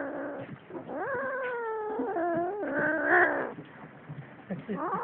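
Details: Cats fighting: a long, wavering yowl that rises and falls over about two seconds, followed by shorter strained cries, with faint human voices in the background.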